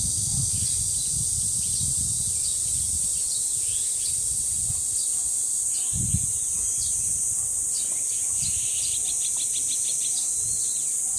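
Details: Deoksan village dangsan: an even, high-pitched cicada drone fills the background while small birds call with short chirps and a fast repeated series of notes near the end; light wind at times.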